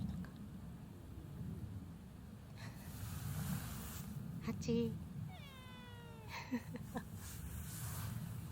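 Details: Free-roaming community cat answering when called by name outdoors: one clear, long meow that starts high and slides downward in steady harmonics, amid a person's calling voice, short clicks and a low background rumble.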